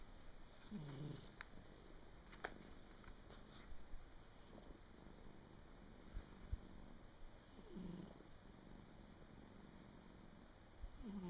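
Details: A house cat sleeping soundly indoors in late December 2017, at year's end, snores faintly: soft low rasping breaths return about every three to four seconds over a quiet room hum, with a few sharp clicks.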